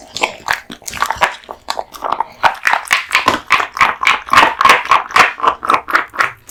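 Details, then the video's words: Raw meat and bones eaten by Kotetsu, a male American Bully: rhythmic wet chomping, about four bites a second, growing steadier and louder toward the end, indoors. "大食い犬ASMR】デカ盛り生肉ランチを豪快に食べまくる愛犬の飯テロ動画MUKBANG Dog eats raw meat bones"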